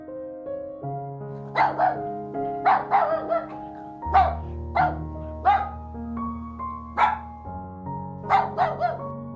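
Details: Dog barking in short sharp bursts, single and doubled barks spaced about a second apart, over steady background music with sustained tones.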